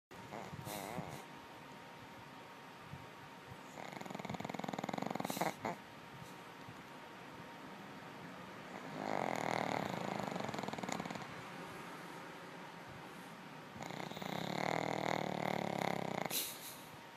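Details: Pet dog snoring while asleep indoors, with long rasping breaths in bursts of a second or two, separated by quieter stretches, and occasional sharper sniffing noises.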